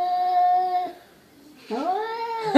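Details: Perseus, a cat from the SPCA, moaning at his reflection: a flat, sustained yowl, a near-silent pause, then a second moan that swoops upward and arches over before tailing off.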